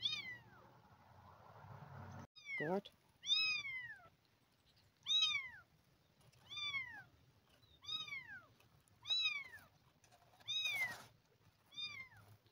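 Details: Two abandoned kittens receiving milk replacement; repeated arched, descending meows come every one to two seconds, about nine in total, after a brief rustle, with a soft human voice mixed in near the end.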